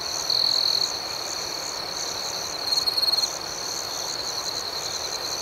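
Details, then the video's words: Crickets chirping at night: a steady high-pitched trill runs throughout, with a faster pulsing layer above it. Two louder buzzy bursts rise out of the chorus, one near the start and one about midway. "Soothing Cricket Sounds"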